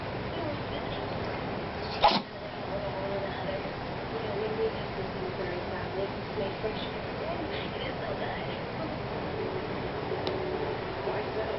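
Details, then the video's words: A house cat named Lynx sneezes once, a sharp, brief puff-like burst near the two-second mark, followed by steady low room noise with only faint scattered sounds. "Lynx Cat Sneezes"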